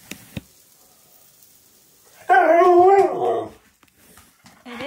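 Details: A happy pet Husky, given all his favourite things indoors, gives a short wavering howl-like vocalisation lasting about a second, rising and falling in pitch, with a person speaking before and after.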